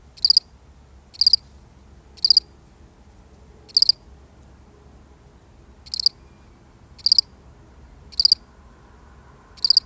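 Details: A single lone cricket in a real recording chirps in short, bright, high-pitched pulsed bursts, roughly one chirp per second with a few longer pauses, over a quiet, faint low background hum.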